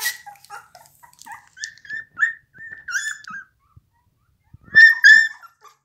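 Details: Pit Bull whimpering with drawn-out, high, wavering whines, several short notes then louder strained cries near the end.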